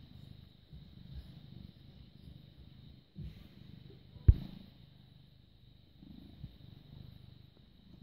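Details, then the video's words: British Shorthair cat, born 18 August 2010, purring in a deep, even rumble on the evening of 6 May 2017 at 21:55; the purr pauses briefly and resumes, with one sharp click midway. "British Shorthair Cat purring"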